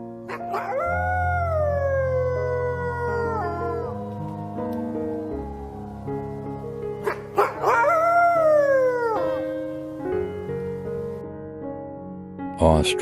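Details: Wolf howling, a long tone that slides slowly downward for several seconds, followed by a second rising-then-falling howl, with background music and a few sharp clicks.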